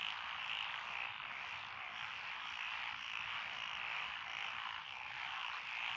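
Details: Frogs chorusing in lotus rice paddies beside a country road in Echizen, Fukui, Japan, on 12 June 2021; Japanese tree frogs, pond frogs, wrinkled frogs, Schlegel's green tree frogs and forest green tree frogs in a dense, steady wall of overlapping croaks and trills.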